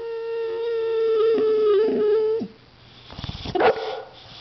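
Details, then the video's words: A one-year-old white female Boxer dog trying to bite a can of compressed air gives a long, steady, slightly wavering howling whine for about two seconds, then breaks into short, rough yips and snorts. "the boxer puppy makes some noise"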